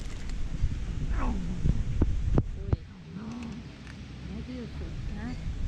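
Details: Fluffy tortoiseshell cat, a little jealous, making funny, weird noises while eating: short arched murmuring moans rising and falling, several in a row, with sharp clicking sounds and a woman speaking Turkish in the background.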